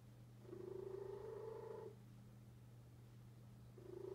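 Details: An indoor deaf cat purring: one long, rasping, slightly rising purr phase, a pause with only a constant low hum, then the next purr starting.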